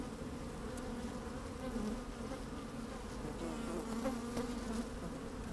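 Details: Honey bees busy at work in an open hive, microphone placed down inside on a fine sunny day with a little wind: a thick, constant low buzz with gentle pulsing swells and light crackles.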